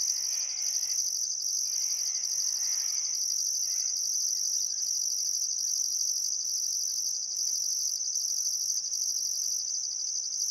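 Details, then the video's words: Chirping crickets on a still summer afternoon at sunset, Welford National Park on the Barcoo River, Outback Queensland, Australia; an even, piercing trill throughout, pulsing faintly above, with soft bird chatter only in the first few seconds. "Australian Sunset Chirping Crickets"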